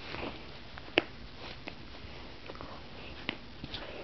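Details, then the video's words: Hugo, a German Shepherd puppy just over three months old, sniffing: soft breathy rustling noise throughout, broken by a few sharp clicks or snaps near the first and third seconds. "German Shepherd Puppy"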